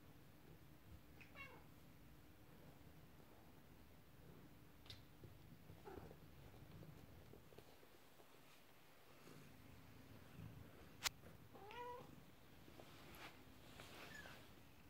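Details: Indoor domestic cats, kittens with a toy horse-drawn carriage and an upset mother cat; scattered thin meows spaced several seconds apart, with clicks and a sharp knock among low room noise.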